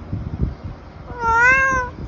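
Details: Tabby cat eating treats lets out one drawn-out, wavering meow lasting under a second, clear and tonal, after soft low chewing and rustling noises in a quiet room.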